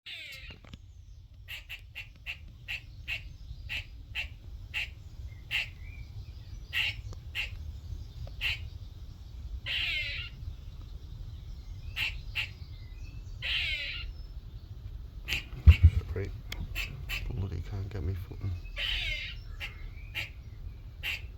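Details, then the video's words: A little squirrel that visited a workshop one morning chatters in sharp, rapid chucks, broken now and then by short buzzy rasps. Finding: squirrel. "squirrel making noises part 1"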